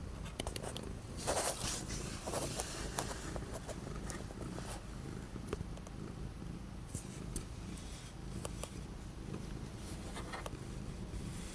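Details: Orange cat purring on 12 January 2025, after days of strong wind and cold that kept it from going out. A steady low rumbling purr runs throughout, with scattered sharp clicks and rustles, especially early on.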